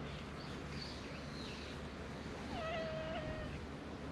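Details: Free-roaming cat among the strays of a cat island: one flat, even meow held for about a second late in the clip, after a quiet stretch of steady background hum with faint higher squeaks.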